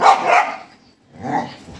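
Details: Two barks from a pet Golden Retriever, about a second apart. The first is louder and longer, the second softer and rougher.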